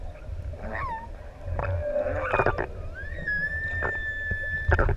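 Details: Singing humpback whales, six adults, off the island of ʻEua in Tonga: a short swooping cry, then a low moan, then a long rising whistle that levels off and holds steady, amid underwater rumble and clicks.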